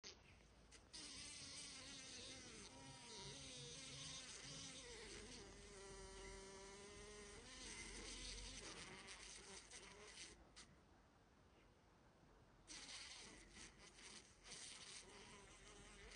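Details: Housefly caught by a spider, buzzing in struggle: a loud, continuous droning hum with stacked wavering harmonics that rise and fall in pitch, fading out near the middle, then returning in broken bursts toward the end.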